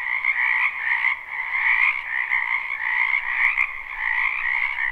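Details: Spring wetland frogs in full chorus, live and unlooped: a continuous, throbbing mass of croaks, loosely pulsing just under once per second, with a couple of faint clicks near the end.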